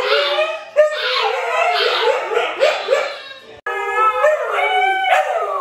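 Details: Siberian Huskies Luna, Gizmo, Arya and puppies howl in a short chorus of quavering, overlapping tones, a brief break, then a cleaner sustained howl rising and falling.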